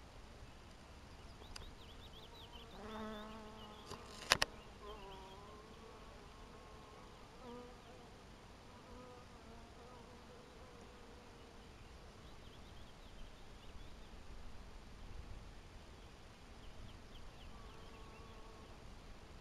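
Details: Honey bees in a 2012 apiary: soft, intermittent buzzing flybys, each a brief nasal tone fading in and out, with a few sharp clicks early on over a quiet hiss.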